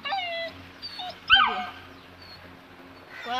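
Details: Fearful two-month-old Saint Bernard pup balking at stairs whines in thin, wavering tones, with one sharper yelp in the middle and a woman's coaxing voice nearby.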